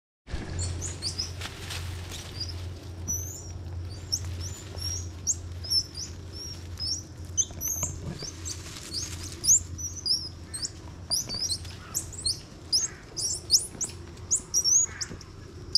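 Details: Young Bolivian squirrel monkeys, one to two years old, grappling in play at Ishigaki Yaima Village on Ishigaki Island, Japan; sharp high chirps and squeaks scattered throughout over a steady low hum and background rustling.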